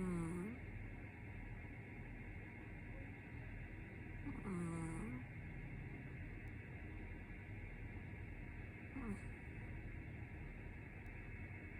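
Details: A cat named Chacha snores while asleep: three short descending, whistly, wheezing breaths come roughly every four and a half seconds, each with a faint airy hiss, over a constant quiet background hum.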